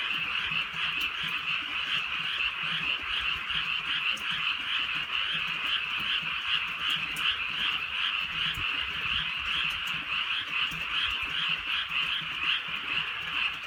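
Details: Frog chorus in drizzling countryside darkness, a loud continuous stream of rapid pulsing croaks at a steady pitch, dotted with sharp drips of rain.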